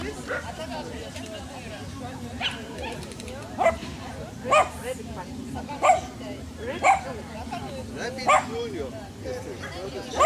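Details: Dachshund with a rabbit, barking steadily: sharp, bright yaps repeated roughly every second to second and a half, about seven barks in a row, with a low steady hum beneath.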